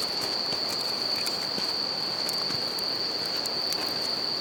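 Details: In Japan, bell crickets keep up an even, shimmering high note by a campfire beside a river; rushing water fills the background while frequent small crackles from the fire tick through.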